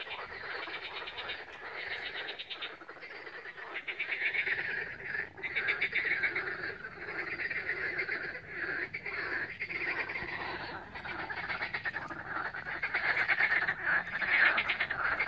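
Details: A dense frog chorus of rattling, overlapping croaks pulses without pause on the Lake Balaton shore at Siófok-Aranypart, Hungary, on 16 May 2021.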